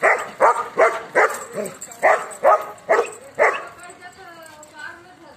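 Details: Panda, a one-year-old German Shepherd, gives a quick run of seven sharp barks at a steady pace, then a fainter, drawn-out tonal sound fades out as the dog quiets down.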